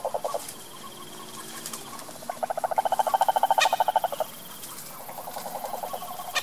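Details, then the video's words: Wild cane toad in the Brazilian sertão: short broken trill fragments, then a loud rapid pulsed trill of about two seconds, followed by a fainter trill, with scattered clicks and taps in the background. "SAPO CANTOR SELVAGEM"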